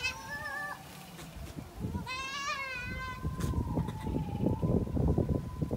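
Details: Goat mating, a short level bleat at the start, then a longer tremulous bleat, followed by a sustained thin tone under rising low-pitched rumbling and shuffling.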